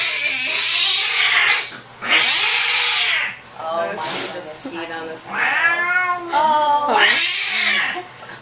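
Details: Male house cat, angry during a veterinary exam before his rabies vaccine, letting out repeated long, strained yowls and growling wails, four loud bouts with short gaps, a vet's quiet talk faintly beneath.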